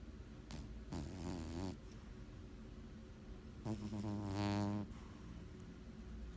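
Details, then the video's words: Junior, a pet cat, snoring loudly while asleep: two drawn-out rumbling breaths with buzzy, harmonic-rich overtones, each lasting about a second and spaced roughly two and a half seconds apart, with soft low hum between them. "Cat snoring"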